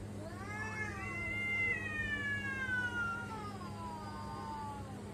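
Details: Pet cat giving a long wailing meow lasting about three seconds, rising then gliding slowly downward with rich harmonics, trailing into a quieter tail, with a constant low hum in the background.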